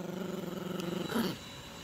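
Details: Playful growl from a Yorkshire Terrier puppy tugging at a dog toy with its owner: steady, throaty, rapidly pulsed rumble that surges briefly louder near the end before easing off.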